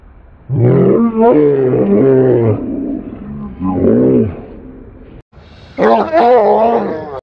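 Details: Dog in an aggressive encounter, not playing: deep, harmonic snarling growls rising and falling in long bursts, a loud stretch for two seconds, a shorter surge near four seconds, then another intense burst after a brief cut.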